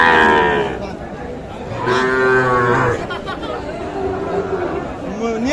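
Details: Busy Aftabganj livestock market in Nawabganj, Dinajpur, Bangladesh, where Sahiwal bull calves are sold, 16 July 2024; a roughly one-second bellowing moo rises midway between bursts of chatter and bargaining voices.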